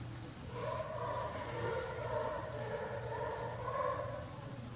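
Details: Uzuki Sasuke, a tailless male jaguar born in 2016, calling at Tobe Zoo on 5 October 2021 with his usual thick, low voice: a run of rough, pulsing grunts repeated about every half second over a steady high insect whine.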